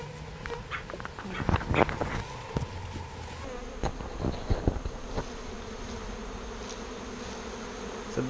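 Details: Bees being rescued from a birdhouse and moved into a bee box, giving a low, steady buzz beneath bursts of clicking and knocking handling noise during the first few seconds.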